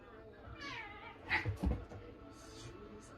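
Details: Domestic cat provoked by another cat gives one drawn-out meow that slides downward, followed by a few soft knocks and thumps in a quiet room.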